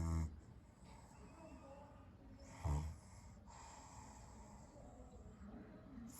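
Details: Pet pug snoring while asleep at bedtime: deep, low, raspy snores with a loud snort at the start and another near three seconds, and soft rumbling breaths in between; a woman's voice is faintly present.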